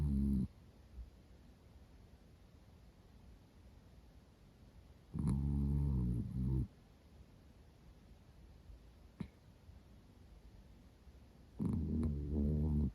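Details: Female Miniature Dachshund named Roro, black and cream, born 2010, snoring loudly while asleep; heavy, buzzing, growl-like snores last about a second each, three clear bursts with still breathing between, plus a faint click.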